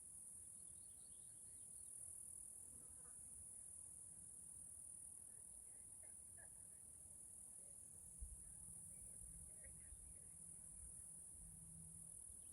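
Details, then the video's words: A constant shrill buzz of cicadas fills a Pacific Northwest forest in Washington State. It runs evenly from start to finish, with faint scattered higher notes and a low hum entering past the eighth second. "Cicadas in the forest"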